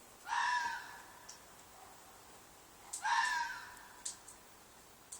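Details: Two raw, piercing screams from a red fox in a field behind an apartment at night, about three seconds apart, each rising fast then trailing off hoarsely; small knocks and a steady hiss in between.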